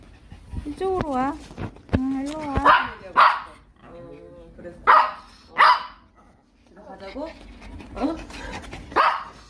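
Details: Eight-year-old male Maltese at a vet visit for itchy paws: wavering whines at the start, then short, sharp barks mixed with human speech and indoor noise.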